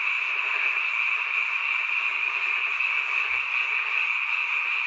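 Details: Many frogs croaking together at night near a mountain village house, heard only at this time of year; thick, steady high-pitched chorus with faint low bumps midway.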